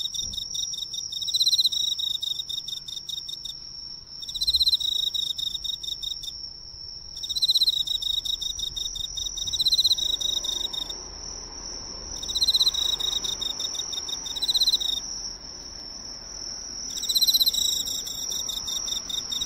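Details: Emma field cricket drawn to a neighbourhood drugstore's light, singing close up: bursts of rapid, shrill pulsed chirps lasting one to two seconds, repeated with short pauses, over a constant thin high-pitched whine.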